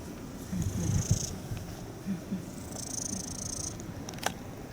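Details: Stray Japanese kitten, alone after its mother stopped appearing at a house entrance under renovation, sick with cat flu (sneezing, runny nose, eye discharge) and possibly blind in one eye, purring in a low, pulsing rumble, with faint high hissy rustles and a sharp click near the end.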